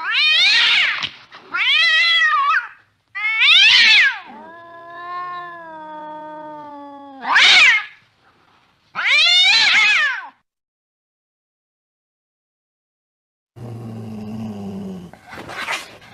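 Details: Cat chasing a mouse deep in the night: quick, sharply bent meows in a rapid run, one long flat-toned cry, two more short meows, a pause, then scuffling noise and a last brief call.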